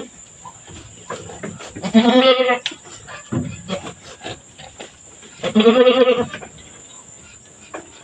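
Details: Farm goat in labour, two kids born back to back; two loud, quavering, nasal bleats about three and a half seconds apart, with soft rustling and faint voices between them.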